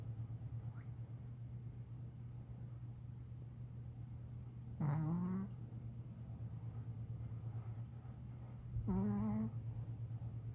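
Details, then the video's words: A Pomeranian snores while napping: two short, tonal, rising nasal snores about four seconds apart, heard over a steady low indoor hum. "포메라니안 코골이 낮잠"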